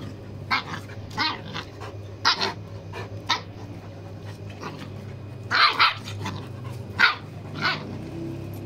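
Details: Farm dog puppies playing with their big brother: a series of short, sharp yips and barks in irregular bursts, about ten in nine seconds, some doubled, over a steady low electrical hum.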